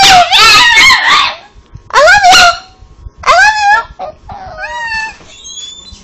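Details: Cosmo Kramer, a pet Chihuahua 'talking' as if saying 'I love you': three drawn-out, wavering howl-like moans that bend up and down in pitch, followed by a softer trailing whine with thin squeaky high notes.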